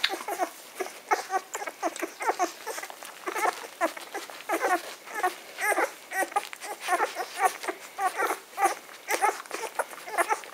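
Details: Litter of ten-day-old Magyar Vizsla puppies, recorded 23 May 2015, squeaking and whining nonstop: many overlapping high, thin squeals and short yelps tumbling over each other in quick succession, with soft rustling of the pups moving indoors.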